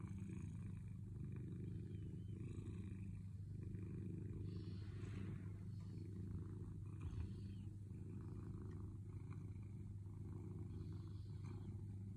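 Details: Sailo the cat purring contentedly while patiently waiting for petting: a steady low rumbling drone that swells and eases with each breath, plus faint soft rustles above it.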